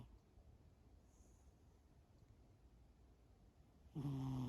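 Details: Sleeping cat Shimao snoring: near silence for about four seconds, then a loud, low, harmonic snore starts abruptly and holds steady to the end.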